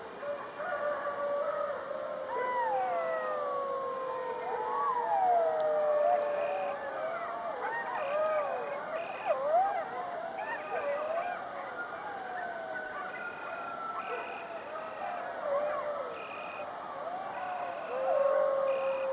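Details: A pack of coyotes howling together: many overlapping, wavering voices slide up and down in long howls and short yelps, swelling louder near the end, over a steady high whine broken by regular pulsing chirps.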